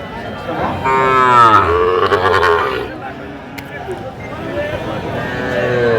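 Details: Sahiwal bull calf at a busy Sylhet cattle market, 24 December 2024, gives one strong moo that sweeps downward over about a second and a half, followed by quieter market voices and background chatter.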